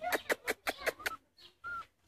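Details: Rhodesian Ridgeback puppies playing: a quick series of six sharp, bright yips at roughly five per second, followed by a short high thin whine and a faint squeak after a brief pause.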